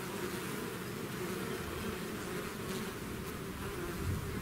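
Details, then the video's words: Bees swarming out of the hive produce an even, continuous buzzing drone, layered and dense, with no pauses and faint fluctuations in pitch. "bees therapy swarm natural buzzing sound"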